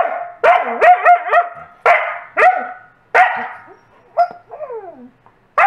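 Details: A coastal wolf barks loudly and repeatedly until a Wolamute wolfdog gives up a toy, mixed with the Wolamute's higher, wavering, happy whines and yips.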